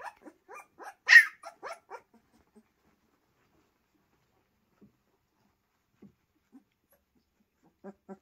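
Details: Pyrenean Mountain Dog puppies giving a quick burst of short, high yelps and squeaks over the first two seconds, then near silence broken by a few faint soft sounds and a last pair of small yips.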